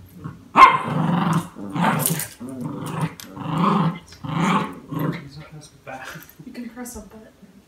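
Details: Two West Highland White Terriers, one deep-voiced and one higher, vocalize together in a playful duet: a series of about seven rough, low, voiced growling moans, each roughly half a second long, with short pauses between them.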